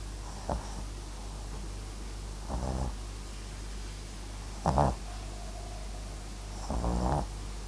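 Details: Snoring from MAX, a Papillon crossed with Japanese Chin, fast asleep: four raspy, buzzing breaths spaced about two seconds apart, each brief and vibrating, against a quiet low hum.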